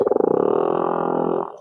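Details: A large male humpback whale (Megaptera novaeangliae) sings underwater off the Tonga islands to find a female: a drawn-out, mid-pitched tonal moan, buzzy at first, then smooth before fading.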